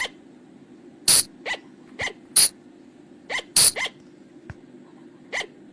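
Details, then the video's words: Night-time flying lemur lure call: scattered, separate clicks and small rising chirped notes at uneven intervals, with a faint low hum underneath. "เสียงต่อบ่างป่า หรือพุงจง,พะจง flying lemur sound"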